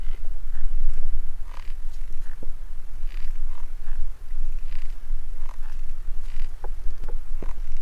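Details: Stag beetle giving a squeaky, hissing sound: short scratchy rasps come in irregular bursts about every half second to second, over a constant low rumble.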